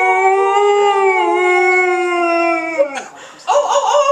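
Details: An Alaskan Malamute howls along with people singing, giving a long, steady howl that sags slightly in pitch before breaking off.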